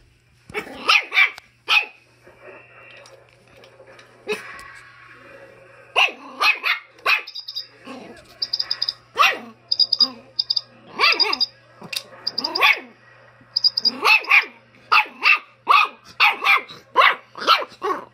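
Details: Schipperke dog sharing space with a chicken, barking in rapid, insistent bursts, often doubled or tripled. Short high-pitched squeaky notes appear between the barks in the middle section, and a low hum runs throughout.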